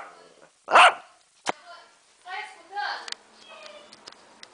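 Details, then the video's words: Lhasa Apso barking at the camera: one loud, harsh bark early on, a short yip after it, then a person talking quietly over the rest of the clip. "Lhasa Apso Latindo para a Camera"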